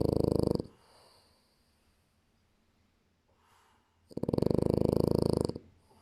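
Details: French Bulldog. A French Bulldog's snoring comes as two long, fluttering rasps, each about a second or more. Between them is a quiet stretch of soft breathing, roughly four seconds apart.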